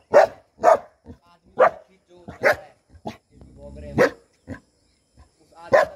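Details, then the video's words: Bhotia dogs, Himalayan sheepdogs, guarding a home in Uttarakhand, India: loud deep barks, single and paired, about one per second with brief pauses, and a low growl in between. "Uttarakhand Bhotia Dogs guarding home"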